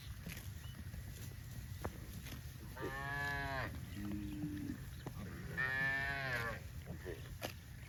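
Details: Cows from a herd of dozens running happily through grassy rice fields on a cattle farm; two drawn-out harmonic moos about three seconds apart, with a brief lower call between, over steady low rumble.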